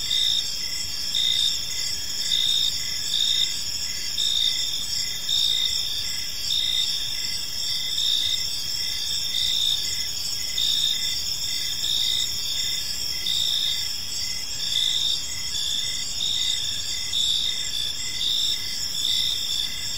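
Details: Chorus of crickets in an evening park, bright high trills and pulsing chirps overlapping steadily throughout, gently rising and falling in volume over quiet ambient noise.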